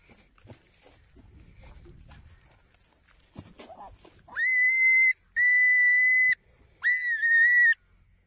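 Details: Prairie dog giving long, loud, steady high-pitched screams that sound like a woman screaming, three sustained cries each lasting about a second, the last slightly wavering; softer noises and handling sounds before them.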